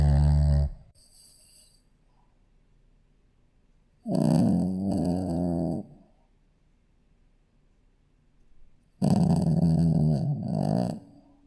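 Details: Sleeping Shih Tzu puppy snoring indoors; rough, rattling snores in bursts about one to two seconds long, separated by quiet pauses of several seconds.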